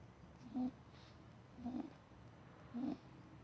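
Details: Pet rabbit Dougal, a male, snoring: three short, hoarse, low nasal snorts, each slightly rising, repeating about once a second against a quiet room hiss.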